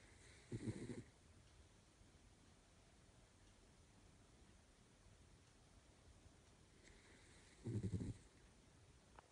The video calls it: Italian Greyhound snoring!